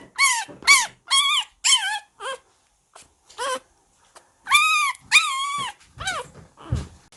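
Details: Baby Shiba Inu at home, kept as a pet alongside a black-and-tan puppy; high, drawn-out whines and yelps in bursts, some rising then falling, separated by short pauses, with quiet rustling between.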